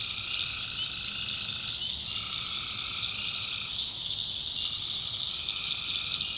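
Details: North Carolina swamp at night, with tree frogs calling in a thick, continuous high-pitched chorus. Overlapping lower drawn-out notes start and stop several times over a faint rustling background.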